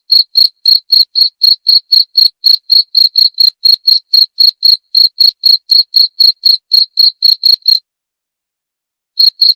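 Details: Cricket chirping, offered as a sound to drive away rats and as calming sleep therapy: clean, regular high chirps about four per second, stopping near the end then briefly resuming, with no other sounds.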